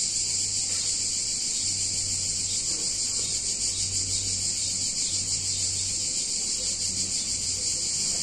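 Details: Cicadas droning loudly in a picturesque Italian town during a hot summer day, one intense unbroken high buzz throughout, with an intermittent low hum switching on and off beneath.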